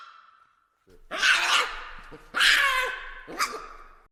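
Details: Baboons; three loud, harsh, hoarse barking calls about one second apart, each a broad raspy burst, after a faint steady hum at the start.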